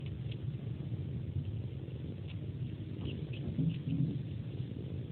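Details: Pet cat sucking on a person's hand like a pacifier as a bedtime ritual, purring steadily; a low continuous rumble with faint wet sucking clicks scattered through.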